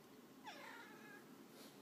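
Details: Indoors, Jax the house cat keeps talking to his owner as she works from home: a single clear meow that starts high, drops, then holds steady for nearly a second before fading, with a quiet room around it.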